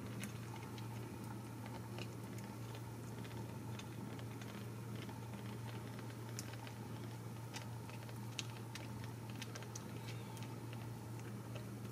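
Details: Steady low hum fills a small indoor room, with faint scattered ticks and soft tapping but no animal voice.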